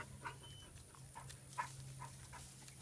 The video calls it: Basset Hounds Making Noises